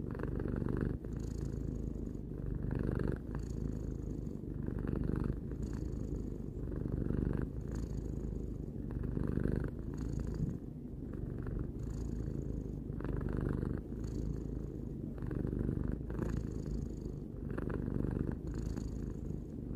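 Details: Domestic cat Tarou, three years old, purrs continuously: a soft, rumbling drone with regular breath cycles of about two seconds, each exhale bringing a slightly brighter, airy layer.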